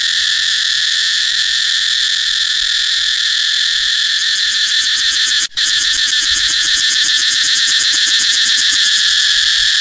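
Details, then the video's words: Continuous loud cicada buzzing, a piercing high drone that briefly drops out for an instant midway, then returns with a fast, rhythmic throb. "cicada เสียงจั๊กจั่น"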